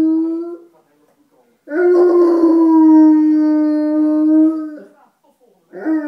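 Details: Dogo Argentino said to be in love, howling: a short tone, a pause, then a long steady mid-pitched howl held for about three seconds, and the start of another at the end.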